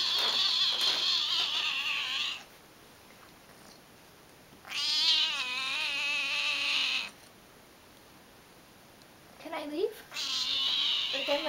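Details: Male Tonkinese cat, a talkative pet, giving long loud drawn-out meows with rich wavering harmonics, two sustained cries of about two and a half seconds each, then a shorter rising chirp and another long meow near the end.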